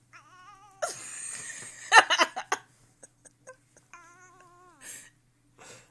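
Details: Pet cat annoyed while being teased indoors; a wavering, drawn-out moaning yowl opens and returns later, between rustling, clattering handling noises and soft clicks.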